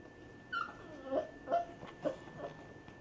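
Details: Basset Hound puppies with their mother Bullseye as Grandpa Noble, an adult Basset Hound, meets them indoors; five soft, high whimpers and yips, each dipping in pitch, come about every half second over a steady electrical hum.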